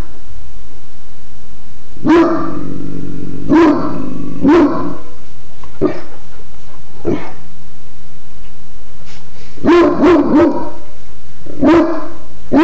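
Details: Godric, a pet dog, barking in short deep bursts: a pair near two seconds, then single barks, a rapid cluster of three around ten seconds and another toward the end, with quiet gaps between.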